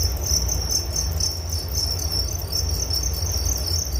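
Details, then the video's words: Crickets chirping for relaxation and sleep: a steady, continuous high-pitched trill with a fine pulsing texture, carried on a constant band, over a low rumbling background hum. "Relaksasi Suara Jangkrik Penghantar tidur || Nature Sound of Crickets"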